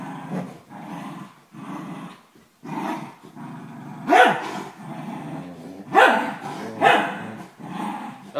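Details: 12-year-old corgi playing tug of war with a 4-month-old German shepherd puppy: low, rumbling growls in short repeated bursts for several seconds, broken by three sharper, louder barking yelps near the end; a person's voice follows.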